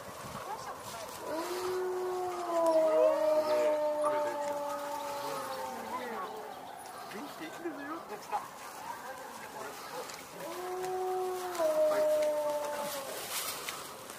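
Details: Several captive timber wolves at Higashiyama Zoo howl in response to a fire engine's siren, long, smooth, overlapping howls at slightly different pitches that bend and fade; after a brief pause a second chorus rises and tapers away.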